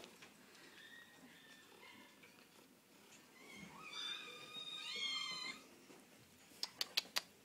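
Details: Cat at an animal shelter, several thin, high meows rising and falling in a quiet room, a louder drawn-out wail near the middle, then a few sharp clicks toward the end.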